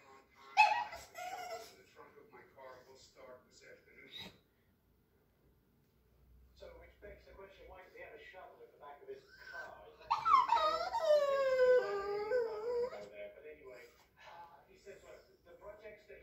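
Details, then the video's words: Yorkshire Terrier excited at seeing a squirrel outside: high, wavering whines and yips sliding downward in pitch, loudest near the end, with a quiet stretch midway and faint background noise. "YORKIE GOES CRAZY SEEING SQUIRRELS"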